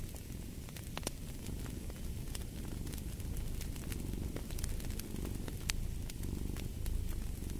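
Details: A cat purrs softly in a low, steady rumble, partly buried beneath dense crackling and popping of a fireplace.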